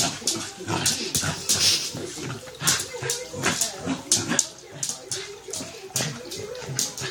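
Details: Pet corgi making rapid, repeated snorting, snuffling huffs in busy bursts, with breathy hiss-like noise throughout.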